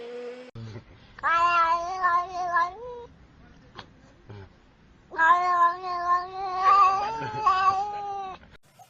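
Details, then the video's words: Domestic cat from a funny cat-sounds compilation: two long, loud meows, each about two to three seconds, held on a fairly level pitch with slight wobbles. Quiet gaps and small clicks separate them. "Meowing, Purring and Talking Cats – Cats Making Funny Sounds"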